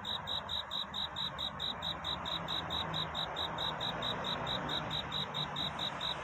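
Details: Cricket calling at night to find a mate, bright high chirps in a regular pulse about twice a second, with a fuller, louder background rumble behind.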